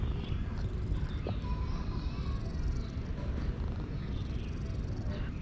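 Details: Male cat purring loudly to show satisfaction while being petted; a steady, low, continuous rumble runs through the whole stretch with no breaks, and a brief faint tone sounds near the middle.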